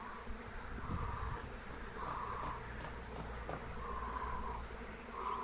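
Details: Wild honey bee swarm in flight during capture with lemon balm: a dense, steady droning hum with low rumble, plus brief brighter buzzy bursts near the middle that swell and fade every second or so.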